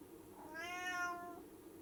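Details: Cat giving a single smooth, drawn-out meow just before jumping, rising slightly then falling away, with a faint hum behind it.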